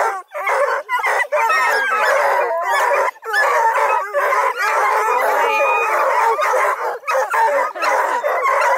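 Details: A crew of registered coonhounds, Bluetick, Redbone and Black and tan, near Kingston, Ontario, Canada, bays in loud, choppy bursts of rising and falling howls separated by short gaps.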